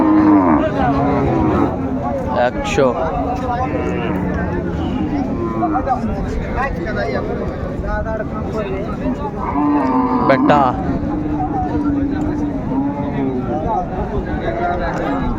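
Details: Cows with calves for sale at Raniganj market, Dinajpur, March 6, 2025. Long, steady lowing moos open the clip and return near the ten-second mark, surrounded by busy market talk and hubbub.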